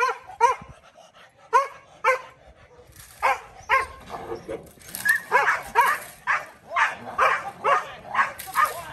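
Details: Kolohe, a challenging male Rottweiler starting protection training with bite work, barks in a steady, insistent run of about two barks per second that grows denser and rougher toward the end, with other noise mixed in.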